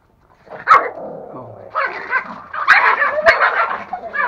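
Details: Angry toy Pomeranian in a home in Kathmandu, Nepal, barking and snarling in rough bursts, with sharp yaps near the start and middle, mixed with people talking about the dog being angry and afraid.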